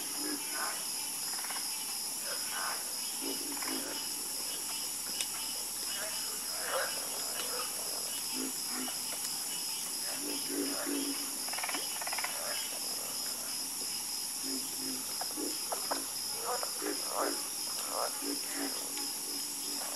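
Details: Frogs calling together in a dense chorus, many overlapping short croaks and clicks at irregular spacing, backed by an unbroken high-pitched insect drone.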